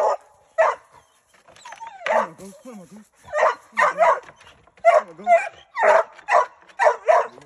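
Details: Treeing Walker Coonhound giving short harmonic barks in quick succession, with a brief stretch of softer whining yips early on.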